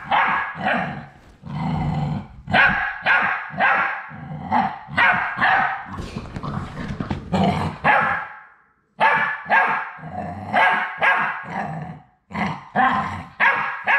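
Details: Labrador Retriever puppies, the last three of a litter at High Desert Labradors, on their final day before leaving for new homes, yelping and yipping almost continuously in rapid, uneven bursts with a noisy scuffle in the middle.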